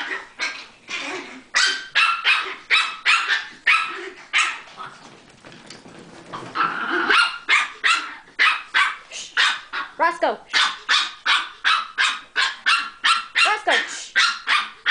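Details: Several Chihuahuas at play bark rapidly and steadily, close to three barks a second, with a brief quieter stretch midway before the quick yapping resumes.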